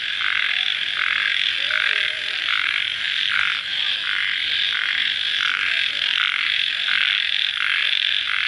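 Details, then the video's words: A post-rain night chorus of crickets: unbroken shrill buzzing with evenly spaced louder pulses, around one every 0.7 seconds, and a steady level throughout. "Suara Jangkrik Dimalam Hari Sesaat Setelah Hujan"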